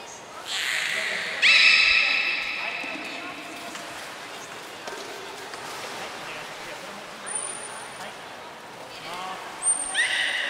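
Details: Belugas Gray and Mirai during a training session at Port of Nagoya Public Aquarium, 22 August 2022: bright harmonic squeals rising and holding, then a pause and another squealing burst, with a high steady trainer's whistle sounding twice.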